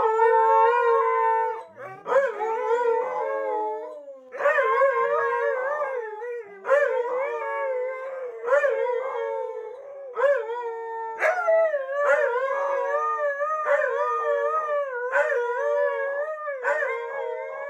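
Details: Trio of Siberian Huskies singing a howling chorus at home while their owners are out; overlapping wavering howls, with some voices sliding up and down and short yelps breaking in every second or two.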